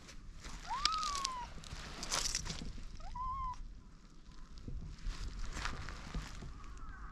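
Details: A white cat and a Siamese cat, just after a fight and quickly making up before sitting side by side on a bench: two clear rising-then-falling meows about two seconds apart, with footsteps and rustling outdoors.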